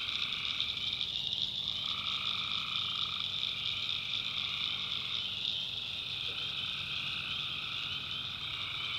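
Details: Nighttime tree frog chorus from North Carolina backwoods swampland: steady high trilling bands, interrupted mid-pitched callers dropping out and returning, and a soft low background hum.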